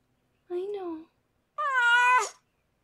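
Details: Harlequin, a rescued pregnant foster cat, gives one long, strained, high meow during the birth of her six kittens. A short stretch of soft human speech comes just before it.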